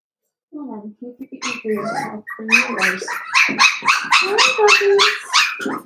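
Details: Blenheim Cavalier King Charles Spaniel puppies, a litter of five born at New Year, in their home puppy pen; soft whines at first, then a rapid run of high, sharp yips repeating several times a second.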